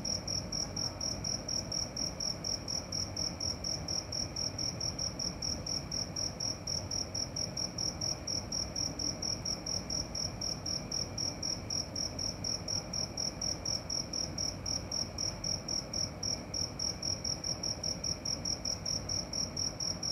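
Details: At night a cricket repeats crisp, high, ringing pulses in a fast, unbroken rhythm, about four a second, with little other sound.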